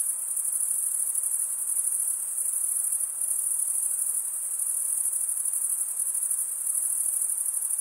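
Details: Continuous cricket chirping, produced mostly by males scraping their wings together. It is a bright, shrill, even buzz that holds a constant pitch and loudness throughout, with no other sounds.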